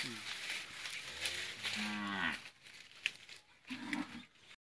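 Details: Hallikar cow, one of a pair with a bullock cart in Thore Byrasandra, Nelamangala Taluk, Bengaluru Rural District: a long low droning moo of about two seconds over a steady hiss, then a short quieter lowing near the end.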